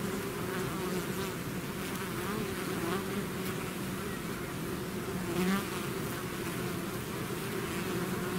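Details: Bees swarming out of their hive in a natural setting, a thick unbroken hum of countless wings, with a few louder passes as single bees fly close by.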